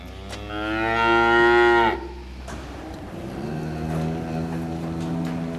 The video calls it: Cows mooing in conversation